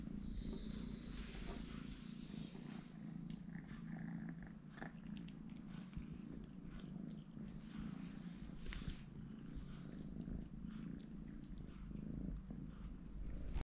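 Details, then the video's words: Young three-legged kitten purring continuously: a deep, even rumble throughout, with light scratchy handling noises and a brief soft squeak near the start. "Small Kitten, Super Lovely, Super Cute"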